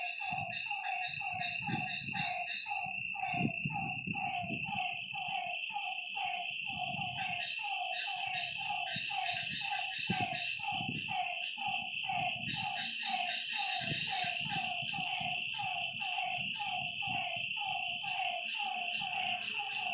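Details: Frogs calling beside a lake at night: a dense train of short, downward-sliding croaks, several per second, overlapping from more than one caller, over a steady high insect drone and scattered low rumbles.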